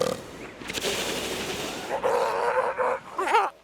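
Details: Southern elephant seals on a crowded Gold Harbor beach, South Georgia, in November at peak breeding season: rough belching grunts over noisy surroundings, then a brief wavering wail rising and falling twice.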